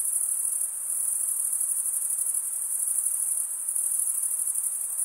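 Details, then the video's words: Continuous cricket chirping from males rubbing their wings together: a thin, piercing, high trill holding an even level throughout, finely pulsed, with only a quiet background hiss beneath. "Most relaxing cricket sound for 8 hours"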